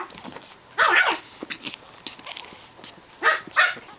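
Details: Japanese Chin puppies at play indoors: a shrill yelping bark near the start, then quiet scuffling, then two more quick high barks close together near the end.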